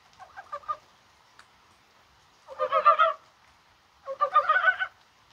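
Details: Mountain frogs calling in the rain on a spring-like January 21st day: three bursts of rapid, clucking pulses, each lasting under a second, separated by quiet gaps.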